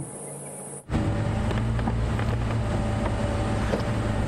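A steady low engine rumble with wind noise follows a brief high electronic tone, and no animal calls can be picked out.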